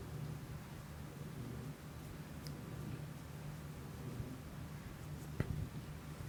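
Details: Purring of the house cat Kiku-chan, recorded indoors through a Shure MV88 on an iPhone: continuous low, buzzing rumble, even in loudness, interrupted by one brief tap and faint rustles late on.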